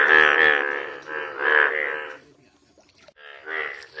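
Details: A yellow frog gives loud, nasal, throaty croaks in three bursts, each a rich, buzzy, moo-like note, with brief pauses and quiet stretches between.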